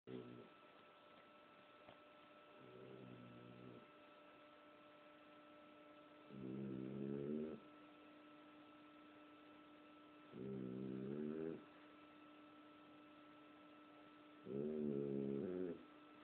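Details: Holiday, a sleeping bulldog, snoring: low, raspy, throaty snores come in regular bursts roughly every four seconds, each lasting about a second and growing louder toward the end, over a steady electrical hum.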